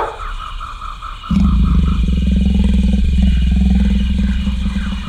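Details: Turkish Van cat seeing off the dog from next door: after a quiet opening second, a loud, low, rapidly pulsing growl starts and holds steady to the end, over faint higher tonal background noise.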